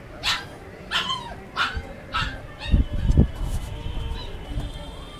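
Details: Kanni and Chippiparai dogs eating: four short, high yelps about every 0.6 seconds, followed by low thuds and rustling of feeding.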